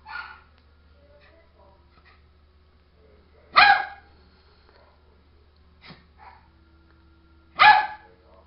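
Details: A pet dog at the door asking to come inside barks three times, roughly every four seconds, each bark short and forceful, with a person talking quietly between barks and a steady low hum underneath.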